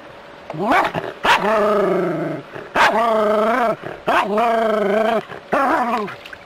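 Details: Jack Russell Terrier playing with water from a hose, giving four long, strained, yowling barks, each held about a second and sliding up at the start and down at the end, with short gaps and a faint steady hum behind.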